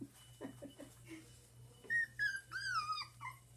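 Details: One-month-old dachshund puppies give short yips and then long, high, whining whimpers that slide downward and repeat in quick succession, over a low steady hum indoors.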